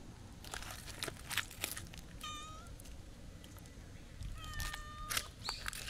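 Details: Outdoors at a shrine with stray cats, including a walking black cat and a friendly tuxedo cat, two drawn-out meows sound amid crackling, rustling footsteps and rural background noise.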